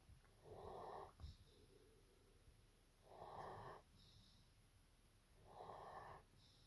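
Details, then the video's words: Napping German Shepherd named Evo gives three steady, rasping snores roughly every two and a half seconds, each trailed by a soft breathy release, indoors and otherwise quiet. "Nap Time - Evo the German Shepherd"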